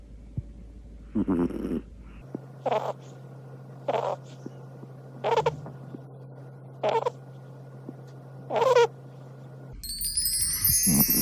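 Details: Pomeranian dog sleeping and snoring: short, rough, noisy snorts repeat about every one and a half seconds over a steady low electrical hum, and a brief bright chiming sound enters at the end.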